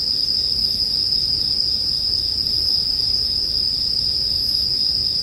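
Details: Bell crickets sing in an unbroken high chorus, a steady shrill ringing tone with no pauses, mixed for sleep with a bonfire under a faint low rumble.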